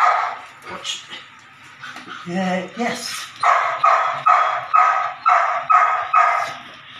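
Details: Belgian Malinois puppy, nine weeks old, in ball and prey drive training: speech and a few mixed sounds at first, then a steady series of sharp barks roughly every half second, music underneath.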